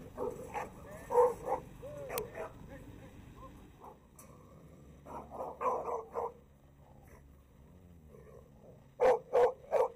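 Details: American Staffordshire Terrier male, stiff and hard to control near another male dog, lets out clusters of sharp, harmonic barks early, midway and in a quick final triple, with French narration between.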